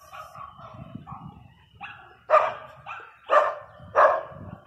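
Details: Angry barking from Teco the Pinscher: a few softer, hoarse yips first, then three loud, strident barks roughly one second apart over low background rumble.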